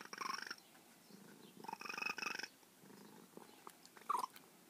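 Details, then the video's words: Once wild female feral cat, now affectionate with her carer, making bird-like chirped trills over purring: two strong bursts then quieter murmurs and a short high chirp near the end. "Talking feral cat"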